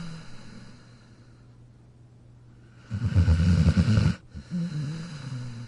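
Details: Sleeping dog named Jack curled in his dog bed; after quiet breathing comes one loud, rough, low rattling snore lasting over a second, followed by a softer wheezy exhale.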